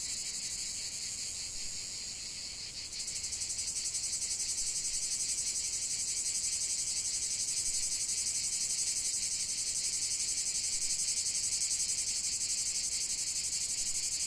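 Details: Chorus of cicadas singing, a high shrill buzz that grows louder after about three seconds, then holds as a steady rapid pulsing drone; nothing else stands out.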